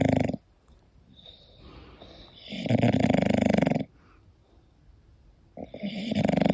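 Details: Sleeping English Bulldog Koda snores loudly indoors. Two long, rough, rumbling snores, the first brief and the second over a second long, are separated by near silence and soft breathing.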